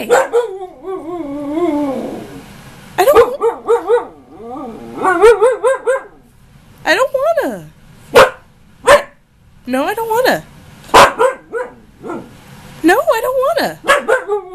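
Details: Heated back-and-forth from Ankita, a husky of almost one year arguing over something she wants: long wavering moans and rising-falling woo calls come in bursts, with sharp clicks and a person urging an inside voice.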